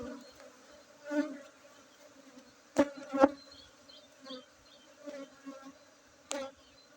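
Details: Honey bees droning at a honey harvest in Tingkem village, Bener Meriah, Aceh, 19 August 2023; a continuous low buzzing hum swells and fades, broken by sharp clicks and knocks from the work nearby.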